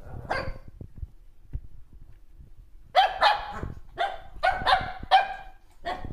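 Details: Shih Tzu puppy playing with its mother gives sharp, high yapping barks. One opens the clip, then after a pause comes a quick run of about six yips, unevenly spaced, with soft scuffling between them.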